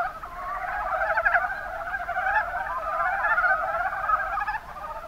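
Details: Mountain brown frogs, Rana ornativentris, calling in the Kuma Basin of Kumamoto, Japan: a dense chorus of overlapping low, pulsed, clucking croaks that run continuously through the clip.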